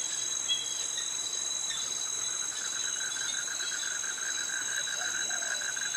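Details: Cicadas with crickets in a Krabi, Thailand tropical forest: a relentless high whine fills the air while a fast, regular pulsing trill rolls beneath it; steady insect chorus throughout.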